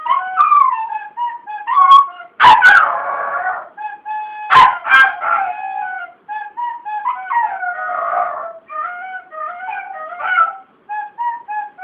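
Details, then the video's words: Pet dog howling along as someone plays the folk tune "Cai, Cai Balão" on a flute; wavering, sliding howls weave between the steady whistled flute notes, with a few sharp knocks partway through. "Cachorro cantando ao som da flauta"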